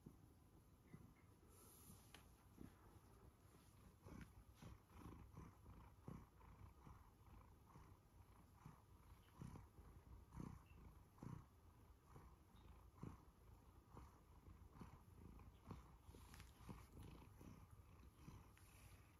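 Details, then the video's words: A one-year-old male Siberian Forest cat purrs steadily while being fussed, a low rumbling drone with soft rhythmic pulses. "Listen to my Siberian Forest cat purr as he is fussed"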